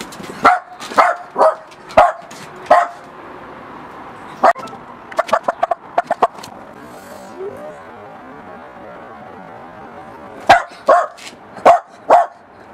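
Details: Miniature Pinscher barking at a balloon. Short, sharp barks come in bursts: four quick ones at the start, a scattered cluster in the middle, then four more near the end, with quiet gaps between.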